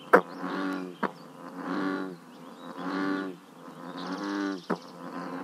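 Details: Bullfrogs croaking at a scenic pond in Northern California: low, rich, throbbing croaks about a second long, repeated roughly every second, with sharp clicks between them and a faint bird trill.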